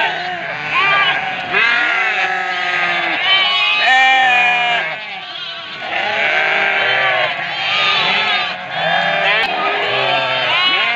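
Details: Ewes calling for their lambs in a large flock, a constant mass of overlapping quavering bleats at varied pitches that swells and dips over eleven seconds.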